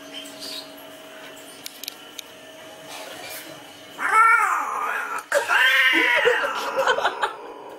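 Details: A cat named Sagapung gives two drawn-out, wavering yowls after a quiet stretch. The first rises and falls, and the second is longer and harsher with a warbling tail. Faint background hum runs throughout, with a few soft clicks early on.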